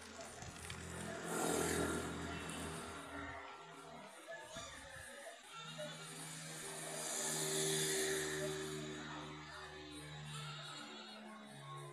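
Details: Music with sustained tones mixes with talking and traffic-like rumble in an outdoor urban setting; no clear animal call emerges.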